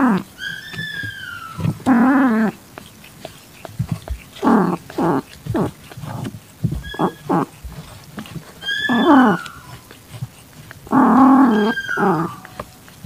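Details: A calitabby female in heat with an adopted calico kitten, eyes barely open, 6:30 PM, 8 September 2021: high, thin, descending kitten mews alternate with short harsh cries and two longer, rough, low yowls.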